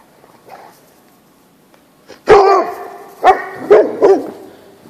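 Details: Great Pyrenees playing outdoors on a snowy winter day, giving one loud harmonic bark followed by three shorter barks about half a second apart, after a person's brief voice and quiet background.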